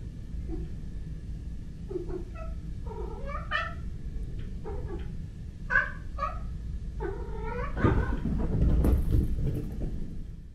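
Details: A cat, possibly a male black-and-white cat or a male British Shorthair kitten, making weird noises while facing a wall indoors: a rapid series of short, chirping, stuttering meow-like calls in bursts, followed by rustling and handling noise.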